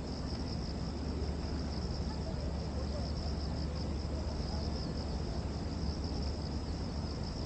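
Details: Cicada chorus in Gwanggyo Lake Park, Korea, early September 2021, taken on a 360-degree VR camera: an unbroken high-pitched drone, gently wavering in intensity, carried over a constant deep rumble from the surroundings.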